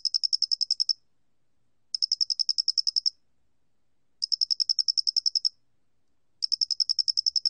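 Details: Loxoblemmus doenitzi cricket singing in a 2020 National Institute of Biological Resources recording. Four bright trains of about ten quick, shrill pulses follow one another at intervals of just over two seconds, with a quiet background.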